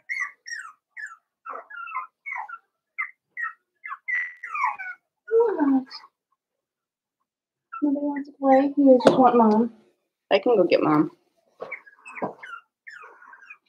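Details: Five-week-old Cavalier King Charles Spaniel puppies from Daisy's litter in their puppy pen give short, high squeaky whimpers in quick succession for about five seconds, followed by human voices talking over a few more squeaks.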